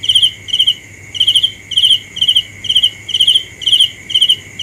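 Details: Cricket producing bright trilled chirps in pairs and short runs, about nine in all with one longer gap, over a continuous high insect tone and a low hum.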